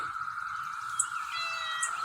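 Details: A cicada recorded close up outdoors as rain threatens: it drones on one steady, buzzy pitch, and two brief high chirps cut in near the end while a bird chirps nearby.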